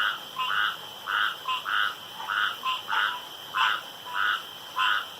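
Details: Around a pond at night, a frog repeats a short, bright, mid-pitched croak about one and a half times per second in a fairly regular rhythm, over a faint high ringing background.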